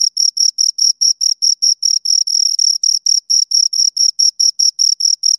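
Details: Crisp, regularly spaced high chirps, roughly four or five per second, from a pair of crickets rubbing wings or legs, with no background noise.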